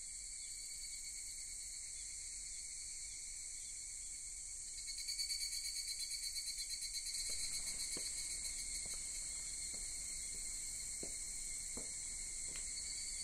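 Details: Evening cicadas (higurashi) calling together in the still-dark early morning of August 10 beside candlelit stairs at Sugimoto-dera temple, Kamakura. A steady high shrill chorus swells at about five seconds into rapid pulsing, then faint sharp ticks follow.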